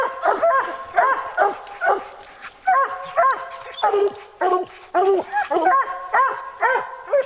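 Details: Hunting hounds on a bear hunt give steady, bawling bays, about two each second. The calls are loud and ringing, with sharp, rising-then-falling notes repeated throughout. Faint human voices are heard underneath.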